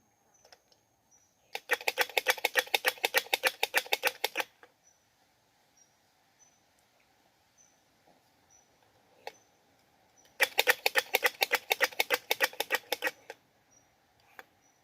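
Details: Squirrel searching for a mate gives two bursts of rapid, dry, typewriter-like clicking, each about three seconds long and roughly ten seconds apart. Soft high chirps and scattered ticks fill the gaps.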